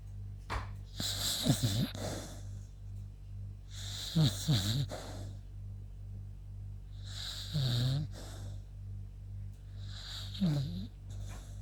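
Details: Worn out after her walk, the sleeping beagle Yuta snores four times, about every three seconds. Each breath is a raspy burst with a dipping, wobbling low tone, and quiet gaps sit between them.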